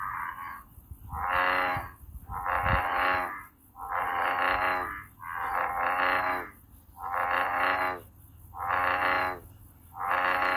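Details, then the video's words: Calling American bullfrog outdoors: a series of long, buzzy, rich-toned calls repeated at a regular pace of roughly one every 1.5 seconds, with a low background hum. "황소개구리, 우름, 소리"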